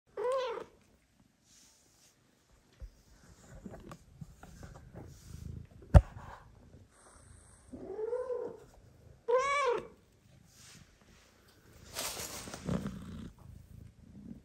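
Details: Mother cat that recently gave birth, with newborn kittens asleep nearby, meows loudly asking to be petted: three loud, arched, harmonic meows at the start, near eight seconds and near nine and a half seconds, between soft rustling, a sharp click and a brief hiss.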